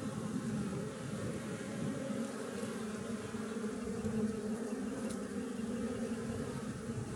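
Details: Western honey bees of a wild colony nesting in a tree give a continuous, even, low-pitched buzzing hum, many insects droning together without pause.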